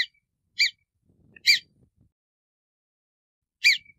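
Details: Marmot giving short, sharp whistled calls, each a quick rising-then-falling chirp. Four whistles come at uneven intervals over about four seconds, with faint rustling between them and an otherwise silent background.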